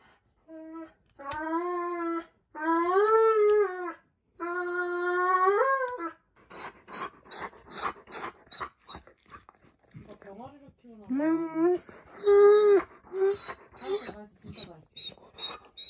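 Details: Roman the Dobermann protesting loudly while his nails are clipped in a small room: long rising and falling whining howls, then a stretch of clattering and rustling handling noise before more strained cries break out again.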